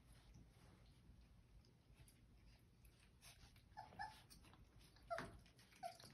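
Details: Four-week-old Old English Sheepdog puppies from Ellie's litter, born 10/23/22, eat a snack from a muffin tin indoors. Soft chewing and clatter give way to short, high, squeaky whimpers in the last few seconds.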